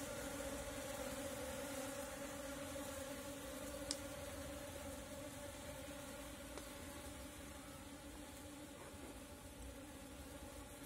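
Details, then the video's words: Asian honey bees (Apis cerana) in a natural swarm as it is caught with a bee cap: a soft, steady low drone with a fainter overtone above it, continuous throughout, plus a single sharp click near four seconds. "Catch Natural Apis Cerana bees Swarm with bee cap"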